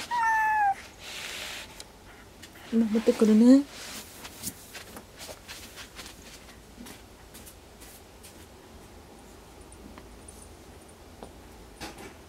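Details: Kuri, a pet cat who seems unwell, stays under a desk indoors around 21:30, refusing food and ignoring catnip. A brief high falling meow opens, then a lower, louder rising cry around three seconds in, followed by near-silence in a quiet room.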